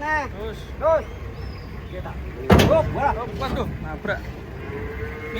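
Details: Short, arched lowing calls come from giant cattle during unloading from a truck. A loud bang like a door or ramp cuts through the middle, and a faint background hum runs throughout.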